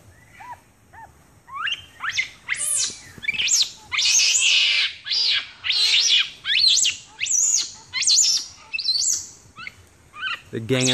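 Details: Capuchin monkeys in Ecuador in April 2015, several ganging up on one, give a rapid series of high, squealing whistled calls that rise and fall, repeated about twice a second, ending with a short low noise.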